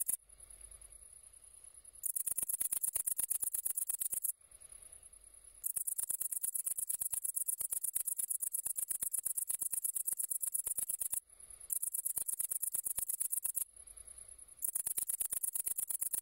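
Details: Great green bush-cricket producing long stretches of high, buzzy, rapidly ticking song lasting two to six seconds each, alternating with brief softer pauses.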